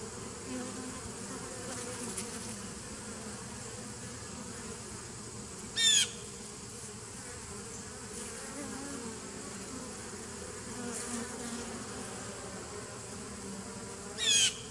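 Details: Honey bees in a 2017 nucleus colony, 27 September 2018, give a softer continuous hum, broken twice by sharp, loud clicking bursts near six and fourteen seconds.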